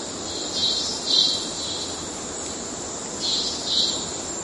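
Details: A cicada in the Amazon forest of Venezuela sings a high, steady, robot-like buzz with pulsing, mechanical-sounding swells every half second or so.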